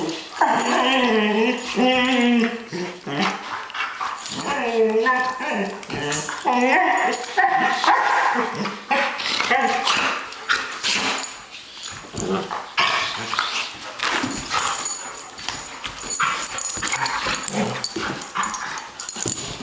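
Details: Dogs playing together, trading wavering whines, yelps and grumbling growls in quick irregular bursts, with rougher scuffling noise growing in the second half.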